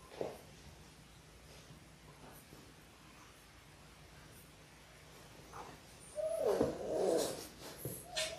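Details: Labrador Retriever puppies, one of six littermates born January 18, 2022, in their sixth week indoors on a live puppy cam; after a stretch of quiet room hum, a short whine arcs up and down, followed by scuffling and clicks.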